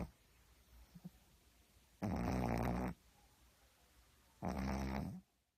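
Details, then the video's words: Heavy snoring from a sleeping pug: two loud, grating snore bursts of about a second each, roughly two and a half seconds apart, with a few faint clicks and quiet breathing in between. "퍼그는 코골이가 심해요"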